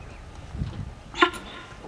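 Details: A sambar deer gives a single sharp, honking alarm call in the evening in Sariska Tiger Reserve, with a female and a male tiger in view and low human voices nearby.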